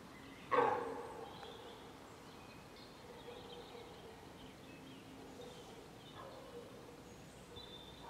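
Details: A hind calls for her lost calf, cut off from her when a sounder of wild boar came between them. One abrupt, harsh, loud cry opens the clip, then quieter faint calls and steady outdoor background noise follow.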